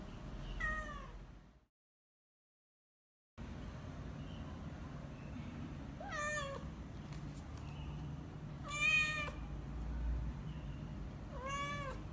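A British Shorthair cat gives repeated hungry meows, each a clear, slightly rising then falling cry.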